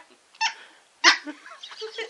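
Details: Bubbles the Shih Tzu, a female pup trying a lollipop, lets out two quick, shrill barks about half a second apart, followed by faint whiny grumbles.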